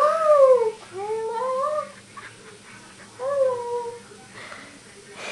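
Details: Pet dog 'talking' while cuddling indoors: drawn-out, smoothly gliding whine-moans, first falling then rising, three long voiced phrases across five seconds with brief pauses between, in a quiet small room.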